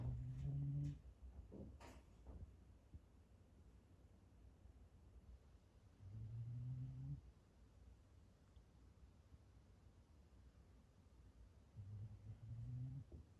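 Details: Asleep at home on 9 May 2020, the pet black Shiba Inu Gon-chan gives low, steady snores roughly every six seconds, with a couple of brief clicks or rustles early on.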